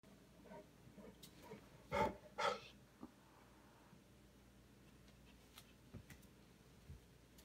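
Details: A heavily pregnant English Mastiff indoors, kept with a kitten, gives two short, gruff vocal bursts about half a second apart. Faint clicks and soft breathing fill an otherwise quiet room.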